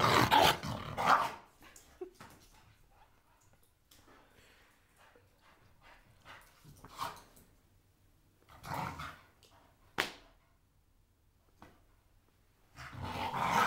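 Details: Playful blue Staffordshire Bull Terrier with a toy: three separate gruff growling bursts, at the start, in the middle and at the end, split by quiet stretches with faint clicks and one sharp knock.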